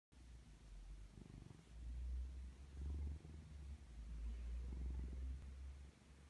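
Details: Domestic cat purring while cuddling with its owner indoors; a deep, rumbling purr that swells and fades in slow cycles of roughly a second, with no other sounds.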